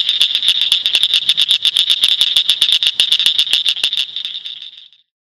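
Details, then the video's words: A northern cricket frog in Shelby County, Illinois gives a steady run of sharp, high clicks, like pebbles tapped together. "Northern Cricket Frog"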